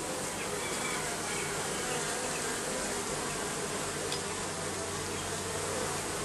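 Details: Bees under the roofing produce a loud, constant swarm drone, a thick, even buzzing hum with no breaks.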